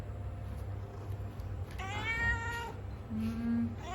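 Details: Male cat gives one clear, falling meow lasting under a second, then a short low droning sound; a faint steady hum runs underneath.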